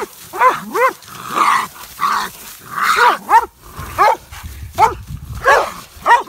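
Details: Mountain Curs and coon dogs hunting raccoon, baying after a big boar coon; loud repeated barks and bawls, several dogs overlapping, rising-then-falling yelps about every half second.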